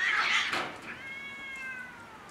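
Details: Cats quarrelling over territory on house roofs: a loud, harsh, noisy cry at the start, then a long, drawn-out, tonal wail that slowly falls in pitch and fades over about two seconds.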